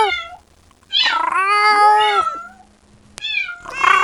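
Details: A kitten cries for its mother with a long, loud meow that bends slightly downward, followed after a pause by a shorter, fainter call and the start of another rising cry; a low hum sits underneath.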